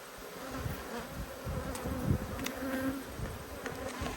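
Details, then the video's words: Angry honey bees during a hive inspection in Australia give a continuous low hum. Brief louder buzzes swell and fade as bees fly near, over a dense, noisy background. "When Bees Go Wild - Inspecting Two Angry Hives"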